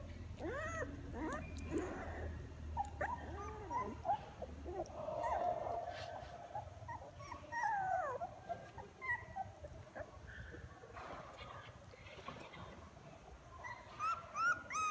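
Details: Newborn puppies in a litter, eyes starting to open and learning to walk toward their mother, give thin wavering whines and squeaks, clustered at first, then sparse, then a fresh burst of yelps at the end.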